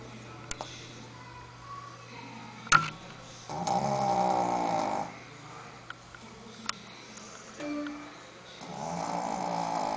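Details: Sophia, a female Shih Tzu, snoring while asleep: after quiet breathing, two long, raspy, buzzing snores swell and fade, one near the middle and one at the end, with a few sharp clicks between.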